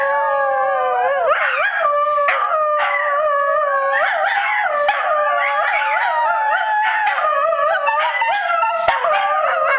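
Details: Pair of Scottish Terriers at a cottage howling in chorus after prompting by their sister: sustained, steady wavering notes with rich overtones, voices weaving up and down continuously without pause.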